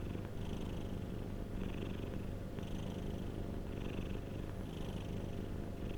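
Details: Domestic cat purring steadily, a rough low buzz with gentle inhale-exhale swells of airy noise repeating around once a second, no other animals or voices.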